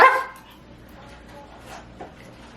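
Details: Pomeranian at play, its cushion caught on a chair: a single sharp bark at the start, then quiet room hum with faint soft sounds.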